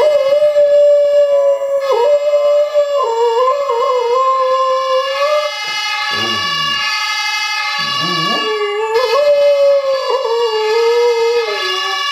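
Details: Pet dog howling along with a siren sound played on a phone. Drawn-out, slightly wavering howls rise and fall over a steady electronic siren. Two brief lower, whimpering breaks come midway, followed by a renewed howl.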